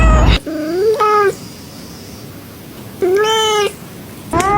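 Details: A cat meows twice in a quiet indoor space, each call a short rising-falling mew under a second long, spaced about two seconds apart, with brief thumps at the start and end.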